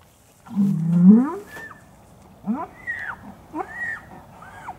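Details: Hereford bull turned out with its breeding group as breeding season begins at Chandler Herefords, 2017: one low, rising, drawn-out bellow, followed by several shorter arching calls that rise and fall.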